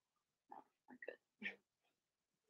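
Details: Indoor puppy pen with six Blenheim Cavalier King Charles Spaniel puppies, two girls and four boys, born March 7–8; four quick squeaky grunts and snuffles, the last one louder and higher, then quiet.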